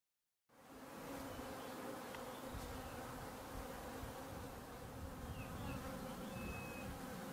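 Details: Treatment-free honey bees swarming from a hive in a garden in May, recorded over breakfast: after a brief silence, a dense, steady, low humming drone of many wings sets in and holds unbroken, with faint bird whistles above.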